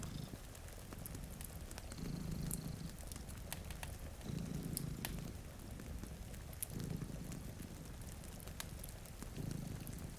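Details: Two cats sleep in front of a rainy window beside a cozy fire; a low rumbling purr swells in waves roughly every two seconds, over steady rain hiss and sharp crackles from the fireplace.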